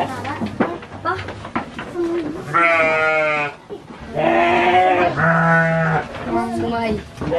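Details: Garut sheep on the Dangiang farm, Cilawu, West Java, at a ram-fighting gathering, giving strong tremulous bleats, one long call followed by two more in quick succession, with human chatter at the start.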